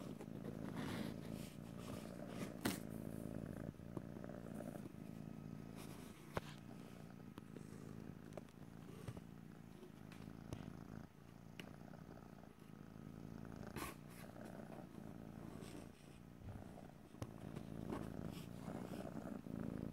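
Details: Continuous low purr from a pet cat in stereo, rumbling in long breath-paced waves, with occasional soft taps and rustles over twenty seconds; no speech.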